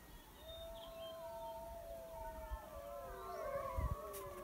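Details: Wild wolf pack near a den with pups by a high mountain lake, answering a hunter's howls: faint, drawn-out overlapping howls from several animals, long steady tones with slight pitch bends, under background music.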